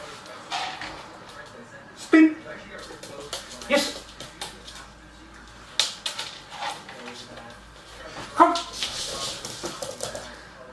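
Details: Young Weimaraner working through basic obedience training inside; a few sharp barks and whining yelps break out at scattered moments between steady human speech and small handling noises.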